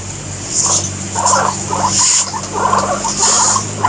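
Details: Domestic guinea pigs squeaking in short, bright bursts, roughly one every half second, some with high thin whistled edges, over a steady low electrical-sounding hum.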